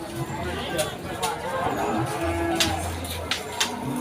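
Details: Cattle at the Pon cattle market in Ambarawa during Ramadan 2024, low droning moos under busy market chatter, with background music and sharp knocks.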